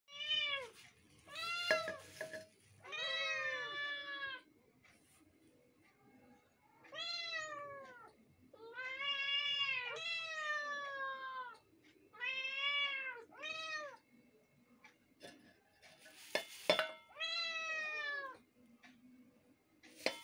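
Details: Two kittens meowing together indoors, mixing their voices in a string of high, arching meows, some overlapping, coming in bursts with short pauses between them, plus a few light clicks and knocks.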